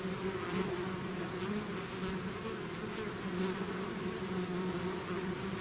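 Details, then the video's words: A honeybee swarm leaving its hive, many bees buzzing together in a dense, steady drone with overlapping wavering hums, continuous throughout with no pauses. "bees therapy swarm natural buzzing sound"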